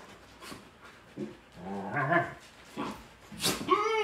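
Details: A Shepsky puppy picking at the other dogs makes a string of odd vocal noises: low grumbles, squeaky yelps and a rising, wavering whine; later that day he was not feeling well.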